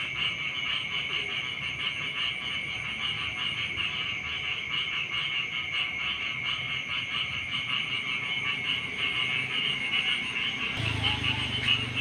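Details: Rice-field frogs in the morning give a continuous buzzing, pulsed chorus over a steady high tone, joined near the end by a low rumble.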